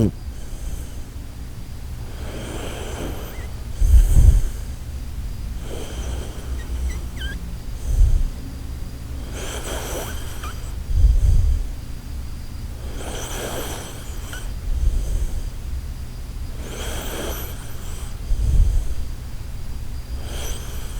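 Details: Koharu, a sleeping Shiba Inu, snoring in a snore likened to the Titanic setting sail: low, rough breathy rumbles about every three to four seconds, with softer breaths between, in a quiet room.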